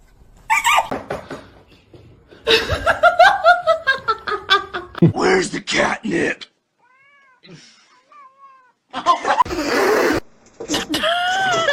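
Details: Kittens calling indoors with drawn-out, wavering meows and caterwauls, rising and falling in stacked tones, while people talk and laugh loudly around them; a few thin squeaks come in a quieter stretch near the middle.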